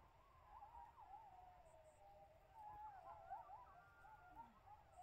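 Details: Distant coyotes howl together outside a tent in wavering, sliding tones that overlap in a soft chorus.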